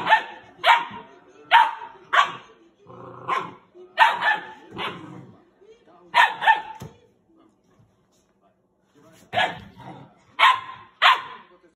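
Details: Doberman puppies squabbling over bed rights; rapid volleys of sharp barks, often in pairs, repeated roughly every half second, a brief lull midway, then another quick run of barks.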